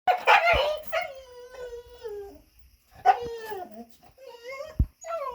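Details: A male dog standing on two legs gives long, high-pitched, tuneful whines that bend and fall in pitch, like talking, in two bursts with a pause, then a sharper yelp and a softer rising whine.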